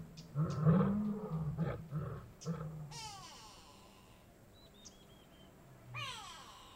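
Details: Kgalagadi Transfrontier Park lion producing a few heavy, throaty roars in quick succession, then quiet, followed by sharp descending bird calls and a short twittering phrase.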